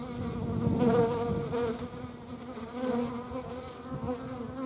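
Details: Hornet flying among wasps and honey bees: a continuous, even insect drone with a strong low hum and rich overtones, loudest in the first second, then steady throughout.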